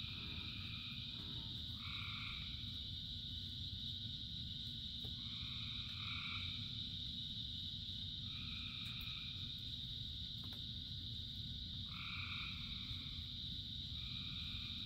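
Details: Frogs singing in rain: brief doubled nasal calls come in bursts roughly every two to four seconds, set against a shrill unbroken chorus and a wash of falling rain.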